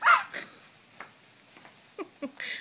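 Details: Nine-week-old male French Bulldog-Pug mix puppy moving around inside a pillow slip indoors, giving a loud, short, high-pitched yelping bark at the start, then faint soft rustles and small squeaky sounds, with a woman's voice nearby.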